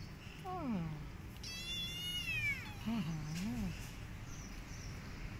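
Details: Cat and kittens as the mother cat disciplines kittens that bit her during nursing: a short falling mew, then a long high arched meow rising and dropping away, followed by a low wavering warble; steady low background hum.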